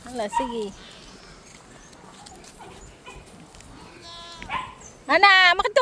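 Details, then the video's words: Kept pet goats bleating: a short wavering harmonic bleat at the start, a quiet stretch with faint background sounds, then a loud, strained, quavering bleat at the end. "Mga alaga kung kambing"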